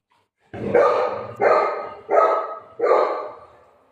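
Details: Shih Tzu dog playing with its owner at home, having messed up the bed, gives four short harmonic barks at a steady pace, each loud at onset and trailing off, with quiet gaps between and no other sounds.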